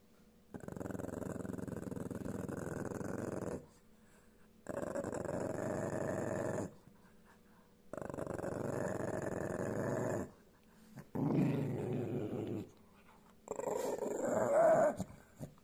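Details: Pekingese; growl; guarding its food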